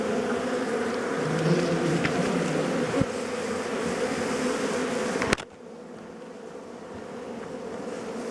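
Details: Dense, steady buzzing of honey bees as their hive is harvested for honey by bushmen; the hum cuts sharply after about five seconds and continues softer, with a few clicks.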